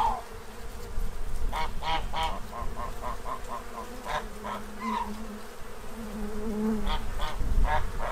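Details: Bees in Central Illinois swarm a feeding tray, stocking up for winter; a dense, low humming buzz fills the recording while farm geese and ducks honk in quick, irregular series behind it.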